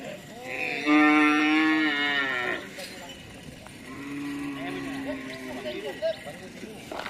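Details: Madura cattle at karapan sapi bull racing practice for the Piala AHY, Madura, East Java, Indonesia: one loud, drawn-out harmonic moo lasting nearly two seconds, then a softer, lower moo, with people talking close by.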